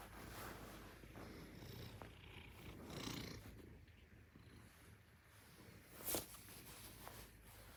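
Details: Maine Coon cat named Alice, a pet "alarm-clock cat" on day 522, purring indoors: a continuous low rumbling purr throughout, with one sharp click near six seconds.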